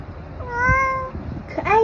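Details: Tabby cat meowing while indulging in treats: a steady, drawn-out mid-pitched meow held level for about half a second, then a shorter, brighter meow that bends downward at the end, over low background rumble.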